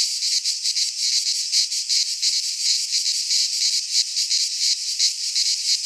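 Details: Greek pine forest cicadas in midsummer, many singing together as an unbroken, high rasping drone with quick uneven pulsations, nothing else clearly audible.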